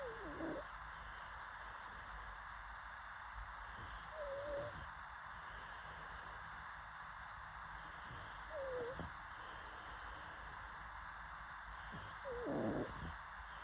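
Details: Pug dog asleep, snoring with a short whistling, wavering nasal tone on each breath, repeated about every four seconds with airy hiss between, against constant low background noise.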